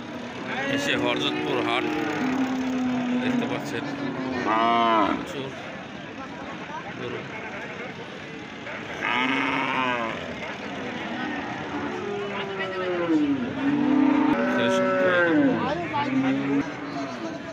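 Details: Cattle at the busy Hardattapur cattle market give several short, wavering moos among constant human talking and background bustle.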